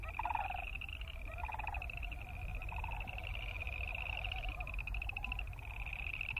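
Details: Boreal chorus frogs croaking in a steady chorus of rapid, pulsed, high trills that overlap without pause, with lower pulsed notes rising and falling beneath them and a constant low rumble.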